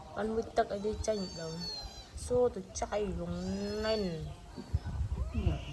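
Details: Kitten meowing: a short harmonic cry near the start, then a long, drawn-out, wavering meow lasting about a second, and a brief final mew, with people speaking Khmer close by throughout.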